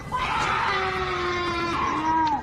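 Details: A long, strained, wavering shriek like a woman screaming, with a moaning hornlike sound. The uploader says it is a cougar mating call; Cougar.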